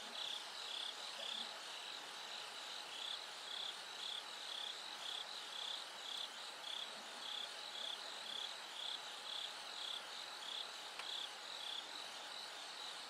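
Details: Bell cricket song at night, as darkness gradually gives way to dawn: steady, high ringing pulses about two per second, clear above a constant background chorus of other insects.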